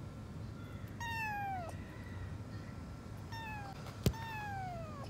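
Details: Frightened abandoned kitten rescued from a dilapidated house by an animal rescue team, giving three drawn-out falling meows, the first long and loud, the others shorter, over a steady low hum with a brief knock.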